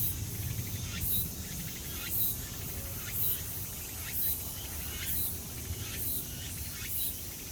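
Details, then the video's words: Cicada calling, species left unknown: short, buzzy, high-pitched bursts repeat about once a second over heavy, low rumbling background noise. "어느 매미소리인가?"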